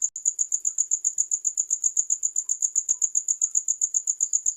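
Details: A short burst of cricket song: piercing, high chirps pulsing quickly and regularly, about five a second, over near silence with a single faint click.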